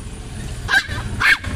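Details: Pomeranian being taken for an injection yaps twice, two brief bright barks about half a second apart, with a low engine hum underneath.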